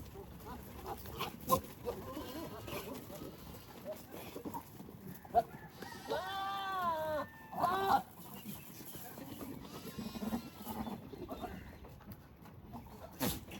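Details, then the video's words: Goats in mating season, males courting females with strange sounds and competition: two loud quavering harmonic bleats close together near the middle, between quieter rustling and shuffling sounds and faint background noise. "Epic & Romantic Goat Battle: Strange Sounds, Gentle Touches & Pregnant Females"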